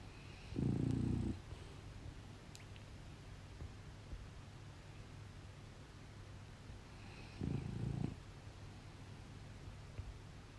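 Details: Pet French Bulldog snoring indoors, two short, low, rough snorts about seven seconds apart, with quiet room tone between them.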